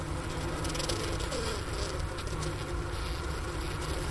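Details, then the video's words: Honey bee colony buzzing inside a winter hive at the Wooster campus of the Ohio State University, Ohio, around 4 PM on January 16, 2024, at 15°F outside, recorded near the inner-cover hole beside a sugar brick; steady low droning hum. "Bee Hive Sounds in Winter"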